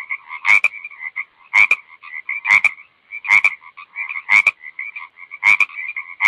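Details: Six forceful frog croaks, each a sharp double-edged knock, arrive about once a second against a continuous ringing, pulsing chatter.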